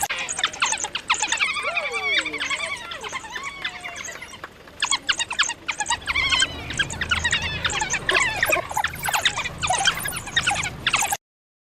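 African wild dogs give a busy chorus of high, bird-like twitters, squeaks and chirps.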